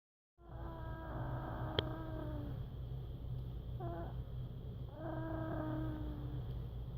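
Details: Emma the pet cat making sounds in her sleep, November 2016: two drawn-out, slightly falling, tonal whimpering calls with a brief squeak between them, over a steady low hum.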